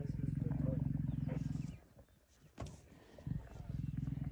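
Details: Male lion with a pride on a buffalo kill in Kruger National Park, 26 September 2023. Deep pulsing growls, fast and throaty, run for over a second, stop, then resume with a brief sharp knock between. Faint voices in the background.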